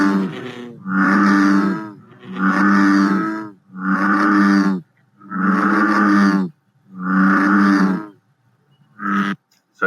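An American bullfrog gives a series of deep, resonant, droning 'jug' notes, each about a second and a half long.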